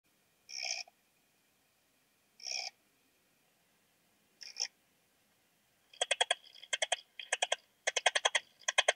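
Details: Modicogryllus frontalis cricket, Puntigam, Austria, 10 June 2022: three short, separate buzzy chirps, then dense trains of rapid, sharp pulses repeated in quick bursts, bright and high-pitched against a quiet background.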